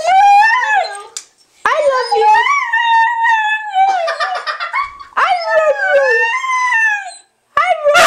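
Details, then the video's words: Domestic dog being prompted to howl "I love you": wavering, harmonic howls rising and falling in several long phrases separated by short silences, with a person speaking over parts and a sharp noise at the end. "Honey says I Love You"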